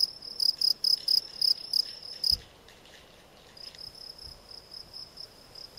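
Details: Field cricket, Gryllus campestris: loud, high chirps pulsing about four times a second stop abruptly after a thump, then, following a brief lull, a fainter cricket keeps chirping at the same pace.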